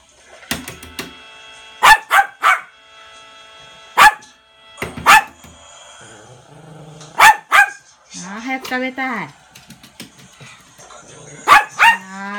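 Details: Egg-loving younger male toy poodle barking eagerly indoors as its owner prepares to hand over egg, July 2016. Sharp yaps, sometimes paired, scattered between stretches of a woman's melodic talking.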